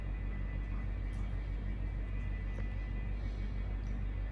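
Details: A steady low engine rumble fills the whole stretch, with a faint constant tonal hum above it and no animal voice.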